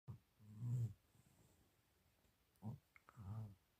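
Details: Indoor house cat, upset and complaining because it wants to sit on a chair: quiet, low, throaty moaning grumbles in short bursts, two near the start and two more toward the end, separated by near silence.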